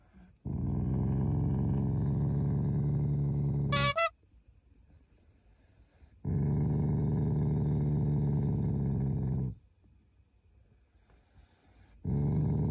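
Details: Shiba Inu, a loving family dog, growling playfully as a show of affection rather than anger; long low rumbling growls lasting about three seconds each, separated by short pauses, with a brief high squeak between the first two.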